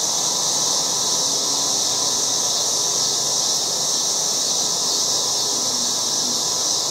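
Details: Loud August cicadas in a yard form a steady, high, hissing drone with a faint lower rasp underneath.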